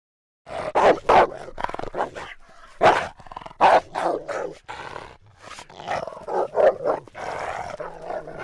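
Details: A Rottweiler, voiced by a voice actor for a vicious-dog sound effect first recorded in 1988 in the United States, snarls and growls in harsh, rasping bursts broken by sharp barks.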